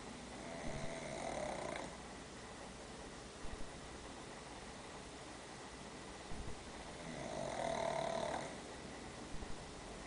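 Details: Sleeping pet dog Diego after a day at daycare gives two long, rough snores about six seconds apart, each a drawn-out buzzy inhale over a constant background hiss with small soft clicks between.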